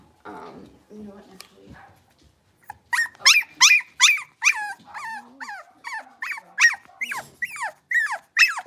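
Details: Six-week-old blenheim Cavalier King Charles Spaniel puppies from a litter of five, indoors in a puppy pen; after soft low sounds, a run of high, arching yelps repeats rapidly, each sliding down in pitch.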